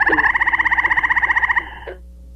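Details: A gray treefrog in Muskoka, Ontario gives a loud, musical trill of about sixteen rapid pulses per second for roughly one and a half seconds, somewhat like a red-bellied woodpecker, followed by quiet.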